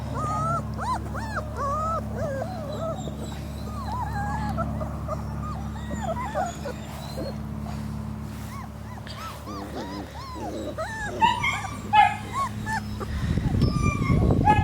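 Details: Three-week-old German Shepherd puppies whimpering, a litter of several voices overlapping in high, arched whines that rise and fall, some short yips, over a steady low hum; rustling and scuffling grow louder near the end.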